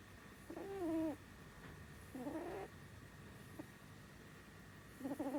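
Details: Female house rabbit Sumi snoring while asleep, a habit since youth; a few wobbly, whiny nasal tones, each under a second, one faint click between them, then another rising squeaky breath at the end, with low background hum.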